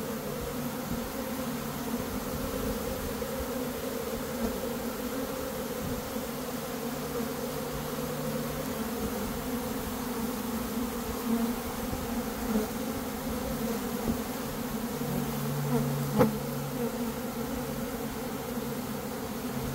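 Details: Honey bees swarming at the start of May, following a dearth, while a beekeeper catches the swarm; a constant low hum with faint deeper mechanical-sounding tones underneath and a sharp click near the end.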